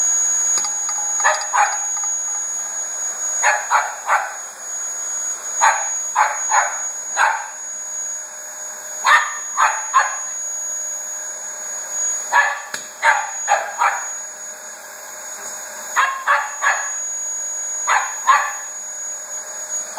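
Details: Loud steady vacuum drone from a Dyson accompanies Koko, a two-year-old Border Terrier, barking at it in rapid volleys of two to four sharp yaps, repeated every second or two across the stretch.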